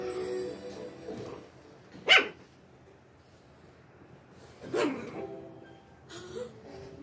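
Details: Shih Tzu puppies play-fighting with littermates, growling at each other during play; short harsh yelps and barks near two and five seconds, a softer rising growl-whine near six seconds, quiet gaps between.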